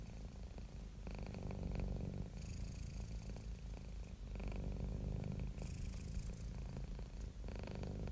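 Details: Domestic cat, happy and relaxed, produces a continuous rough low purr with rhythmic breath-linked surges about every second, otherwise quiet surroundings.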